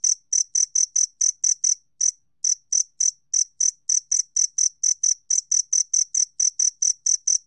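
A two-spotted cricket gives steady, clear, high chirps, about four each second.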